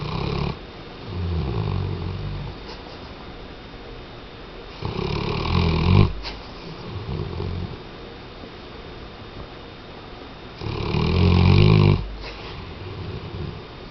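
A Weimaraner snores in deep, rumbling bursts with quiet breaths between them.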